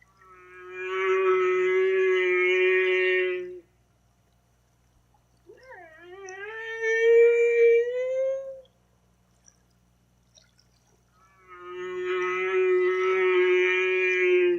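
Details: Humpback whale song: three long, tonal, harmonic moans separated by silent gaps. A steady low moan lasting about three seconds, then a rising, upswept wavering unit, then the steady moan again. No other sounds.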